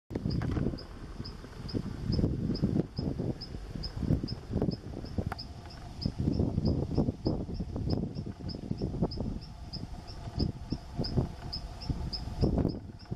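Brown howler monkey giving deep, rasping, guttural roars in uneven rolling bursts.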